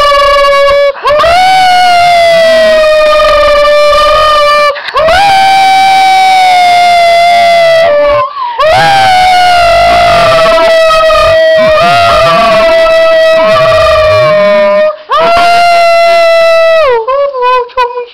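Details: A female dog gives a series of drawn-out howls, each held several seconds at a fairly high, even pitch, lifting at the start and sagging at the end, the last breaking into a quick wavering.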